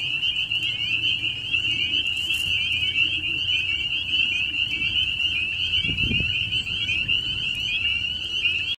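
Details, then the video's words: Eerie high trilling of a dense frog chorus, unbroken throughout, with a brief soft thump partway through; the sound fascinates Bijou, a dog. "my dog Bijou is fascinated by the eerie sounds of frogs"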